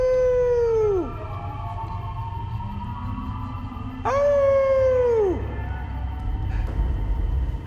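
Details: Two dingo howls at night in hot, dry Australia from a family group, perhaps four or five adults with pups, across a gorge near water; each is a clear, steady note sliding sharply downward at the end.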